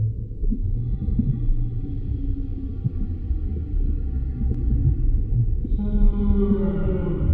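Humpback whale song: low, drawn-out moans over a deep rumble, shifting to a brighter tone near the end.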